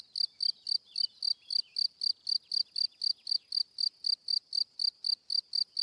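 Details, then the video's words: Unbroken cricket chirping, short high pulses repeated about four times a second throughout, with faint scratchy sounds in the background early on. "Cricket Sound - Cri Cri - Cricket Singing"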